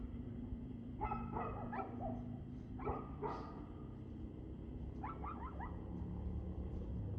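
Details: Dog barking on 2/6/2024 at 6:02 pm: clusters of quick, hoarse barks near one, two and three seconds, then a fast run of sharper yaps around five seconds, over a steady low rumble and hum.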